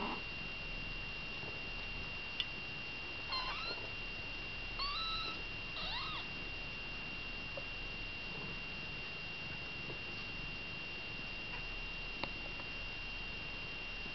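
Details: Kittens with their mother cat, Baileys, indoors in a small room; several short, high, thin mews around the middle of the clip, some rising then falling, over a steady electrical hum and faint background hiss.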